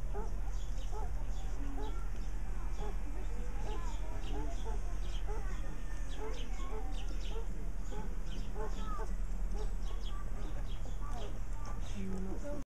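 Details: Meerkats (Suricata suricatta) keep up a continuous chorus of brief, high squeaky chirps and peeps from several callers, overlapping steadily, over a low electrical-sounding hum.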